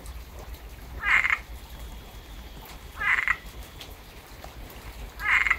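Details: Tampa, Florida frog calling after rain: three short, nasal, fairly high croaks spaced about two seconds apart, with a low steady background rumble between them.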